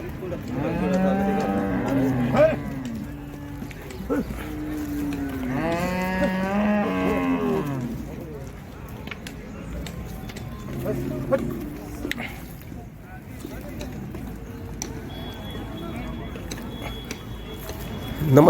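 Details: Water buffalo at the Ghodegaon livestock market, offered as dairy animals giving 16 litres of milk; loud drawn-out moos with rich harmonics rise and fall, several calls in the first eight seconds, then quieter lowing amid crowd chatter and market noise.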